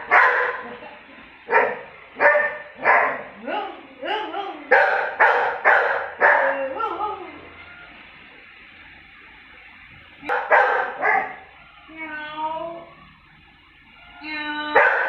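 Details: Labrador that will not tolerate mocking barks in a rapid series of about a dozen sharp, loud barks. After a pause come two more barks and short tonal mocking sounds. Another bark ends the sequence.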